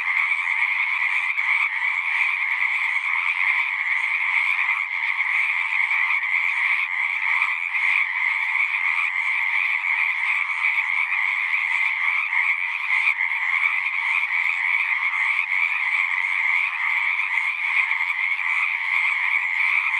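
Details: Chorus of many frogs calling at a pasture pond, captured with a Zoom recorder; a constant wall of rapid, rattling croaks in two layered pitches, unbroken and even in loudness from start to finish.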